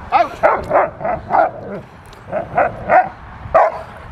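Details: Retired Rottweiler bitch Carma, crazy for protection work, barking at the helper during a training session; rapid run of harmonic barks, several per second, with a short pause midway and a faint voice in the background.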